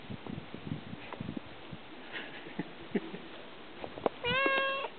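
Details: Pet cat said to talk to its owner: soft Danish speech and small noises, then one clear, steady, tonal meow near the end.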